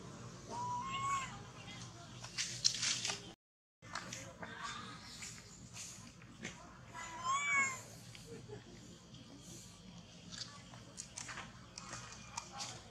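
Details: Baby monkey separated from its mother, clinging to a tree with its body shaking, gives high, arched, wavering harmonic cries in several bursts, one cluster near the start and another stronger one midway, with faint clicks and rustling between.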